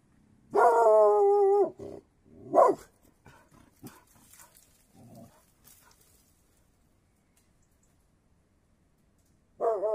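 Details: Mountain Cur, an American hound breed: a drawn-out, steady tonal howl lasting about a second, then a short bark, scattered faint knocks and snuffles, and another tonal howl starting at the end.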